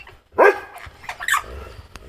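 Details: A Dobermann on holiday, still getting used to new surroundings, gives a short, deep, harmonic bark on its owner's "speak" command, with a man's voice calling nearby.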